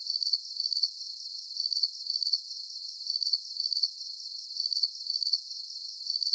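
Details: Crickets in a calming nighttime sleep soundscape, giving high, thin pulsed chirps in short bursts about twice a second, steady and even, with no low sounds, voices or other animals beneath them.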